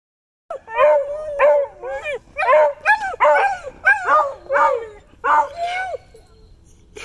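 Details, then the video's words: A Wheaten Terrier howls in a run of wavering, yodel-like tones, joined by a Beagle that taught it to howl. "Hobbes the Wheaten Terrier and Happy the Beagle Howling"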